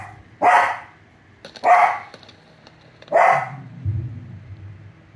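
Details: American Cocker Spaniel barking at the sound of fireworks: three loud, sharp barks spaced about one and a half seconds apart, then a low rumbling boom near the end.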